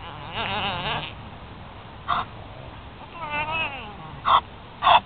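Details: Nutrias protesting while Bumpy, a big black nutria, claims the oats at feeding time: two long, wavering, moaning calls with stacked harmonics, plus several short, sharp, loud bursts near the end.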